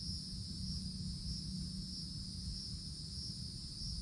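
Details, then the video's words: Cicadas calling in summer woods beneath the forest canopy: an unbroken, steady high buzzing drone in two shrill layers, with a low rumbling background beneath. "Forest Canopy in the Summertime With Cicadas Sounds"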